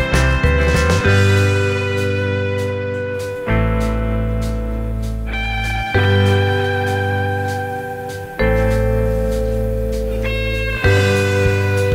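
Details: Slide guitar music with sustained chords changing every few seconds plays throughout, and no animal voice is heard.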